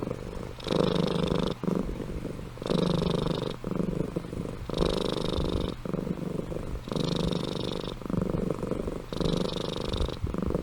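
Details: Amy, a pet cat, asleep and snoring: loud rasping purr-snores in regular breaths, about one every two seconds, each a broad buzzy burst separated by short quieter inhalations.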